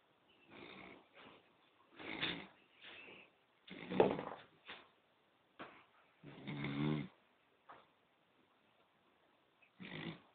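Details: Poodle snoring while asleep: rough, breathy snores in separate bursts roughly every one to two seconds, some louder and longer with a low rasp, with quiet pauses between breaths.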